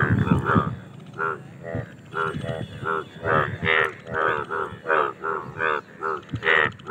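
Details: Mating chorus of Indian bullfrogs: rich, reedy croaks roughly twice a second, several callers overlapping, over a low rumbling background.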